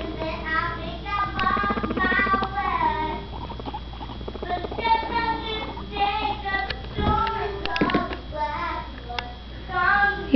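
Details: Annie, the smallest of three unaltered female guinea pigs kept together, bossing her cagemates Fluffy and Clia to show dominance, possibly while in season; runs of short, repeated tonal chirping notes with bright overtones, over rustling and patter.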